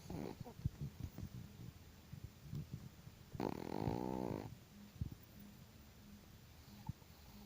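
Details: Chihuahua dog snoring loudly while asleep: irregular low rumbling breaths and soft snuffles, with one longer, louder, rattling snore in the middle of the clip.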